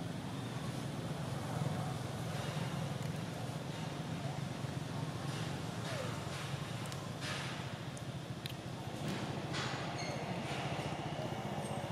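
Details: A constant low rumble of passing vehicles fills the recording, with faint speech and occasional sharp clicks. No animal calls stand out.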